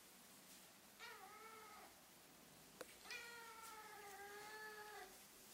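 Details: A talkative Ragdoll-Birman kitten, female, meowing as soon as the camera points at her: two long, steady, tonal meows, the second stretched to about two seconds, with a sharp click between them.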